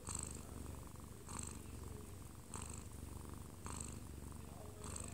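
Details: A 1-year-2-month-old odd-eyed Munchkin cat purrs in a steady low rumble, swelling slightly with each breath, while falling asleep in its owner's arms and having its chest scratched, kneading the air; a TV plays in the background.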